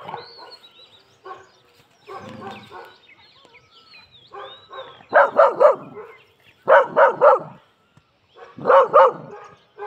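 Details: Labrador Retriever in aggressive mode: after several seconds of human voices and scattered noises, short harsh barks come in tight bursts of two or three, three bursts spaced about two seconds apart.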